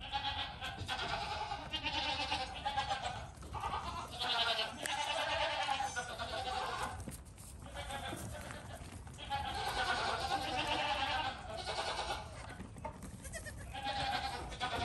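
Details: Baby goat calling with a series of drawn-out, tremulous bleats, some lasting two to three seconds, separated by brief gaps, with low background rumble throughout.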